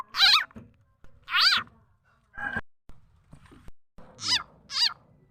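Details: Khiat mo frog, also named khiat cha na, a call used as bait for catching birds and poultry: bright, quivering squeaks with stacked overtones, a few loud cries and softer, shorter notes between them, irregularly spaced.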